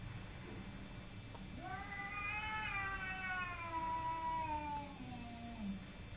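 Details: Domestic cat fighting with a neighbour's cat: a drawn-out, nasal yowl that swells, wavers and slowly falls in pitch over about four seconds, ending in a low growl, over a faint steady hiss.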